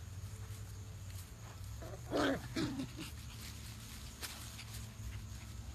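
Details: Pembroke Welsh Corgi puppies playing around with a breeder in Kirkwood, Pennsylvania; two short, harsh yipping barks close together mid-clip, over a steady low rumble and scattered rustling.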